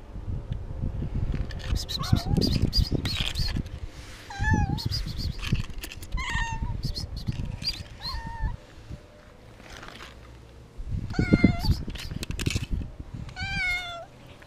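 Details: Frightened, hungry domestic cat giving a string of short wavering meows, some rising then falling, spaced about a second or two apart, mixed with loud low thumps and rustling from handling and touching.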